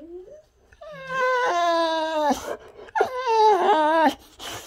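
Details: Boxer named Rex, a Swedish boxer, talking and whining indoors while calendars are changed, always in a hurry to play; two drawn-out harmonic whines, the first rising then wavering, the second bending downward, with faint music behind.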